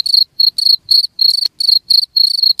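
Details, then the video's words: Chirps of a cricket, meant to keep rats off: bright, high trilled bursts repeating roughly three times a second with brief silent gaps, one sharp knock near the middle, soft low thuds beneath. "SUARA JANGKRIK UNTUK MENGUSIR TIKUS"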